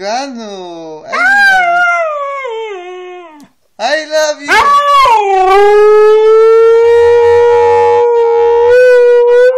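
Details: Kanu, a Siberian Husky, first makes warbling, wavering talking-like yowls, then settles into one long sustained howl held on a steady pitch for several seconds. A person's low voice sounds faintly underneath.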